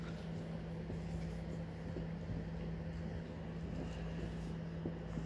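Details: A constant low electrical hum and rumbling background noise with faint knocks, and no animal voice.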